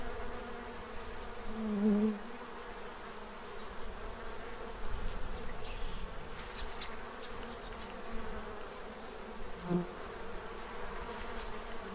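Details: Bees feeding in Central Illinois ahead of winter, a constant soft drone broken by two short, sharper buzzes from insects flying close, one early and one near the end.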